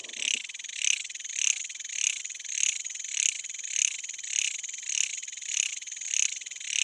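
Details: A jhyaukiri cicada sings a shrill, buzzing song in dense forest, pulsing about every half second; its song is believed to signal the coming sunset.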